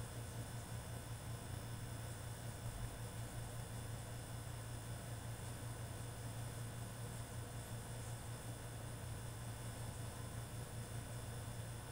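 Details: A constant low mechanical hum with steady broadband hiss and faint high tones runs throughout, like a motor or vehicle, and no barking or other animal sound is heard.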